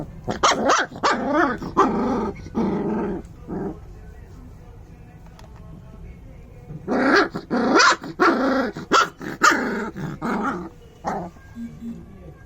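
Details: Angry puppy barking in two volleys of sharp, harsh barks, several in quick succession for about four seconds, a quiet pause, then another burst of rapid barks.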